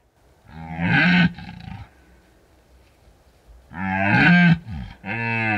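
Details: Deep, rich roaring of a red deer at the height of the rut in Bucovina's mountains at night, unattended drop rig; two drawn-out bellows separated by a pause, the second followed by a shorter grunt.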